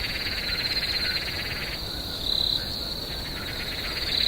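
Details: Swamp at night with crickets: a constant high shrill tone, a rapid pulsing buzz that fades out midway and returns, and brief louder chirping bursts near the end.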